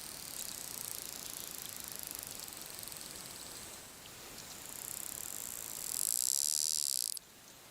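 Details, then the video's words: Bottlenose dolphins underwater give a dense hiss of rapid high-pitched clicks and pulses, with a louder buzzy burst near the end. "here is what bottlenose dolphins sound like underwater"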